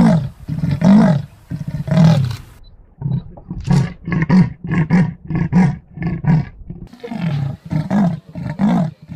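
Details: Continuous deep, rumbling roars and growls from a big cat, with rough drawn-out bursts breaking into choppy grunting pulses, closely packed with no quiet gaps.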